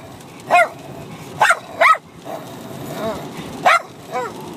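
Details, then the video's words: Bichon Frise puppy of six months and a grown dog, playing and fighting together; several high, bending yips and barks rise then fall in pitch, spaced about a second apart, with soft growling between them. "Bichon Frise Puppy & Dog Barking at each other Crazy for over 5 minutes"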